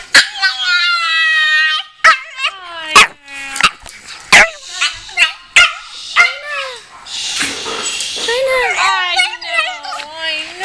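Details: Crying female Pekingese called China, said to be emotional: sustained high whines, then a run of short yelping cries that bend upward and fall, separated by sharp knocks, ending in wavering wails over a person's voice.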